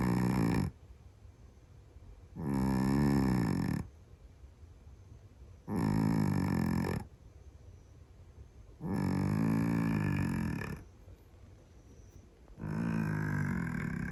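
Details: A sleeping Scottish Fold cat snores very loudly indoors. Deep, rasping, low-pitched snores last about one to one and a half seconds each and come roughly every three seconds, separated by quiet pauses.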